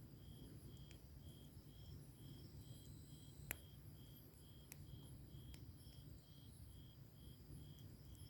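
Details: Summer-night grass insects near a wood fire keep up an even, high-pitched chirp in regular short pulses, while a few loud crackles of firewood and a low background rumble fill the scene.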